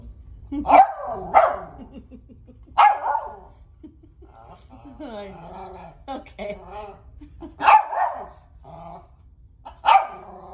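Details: Indoors, a female Westie barks at her own picture, loud sharp barks in pairs and singles every couple of seconds, broken by a woman's soft speech and brief whines.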